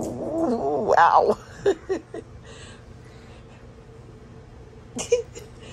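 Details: Rough play between pet dogs Astrid and Brielle, Astrid sounding mean. A loud, wavering, rising and falling growl-yowl lasts over a second, then a few short gruff bursts. After that comes near quiet and a brief final yip.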